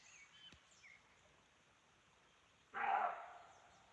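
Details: Roe deer in a forest at Chaumien, France, heard while hiking: after a quiet stretch, one loud, harsh, broadband bark lasting about half a second, with faint bird notes earlier and soft forest background.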